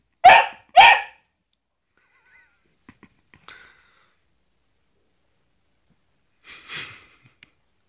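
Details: Basset Hound going after a glove fires off two quick, loud barks half a second apart, then only faint scuffles and a soft muffled bark near the end.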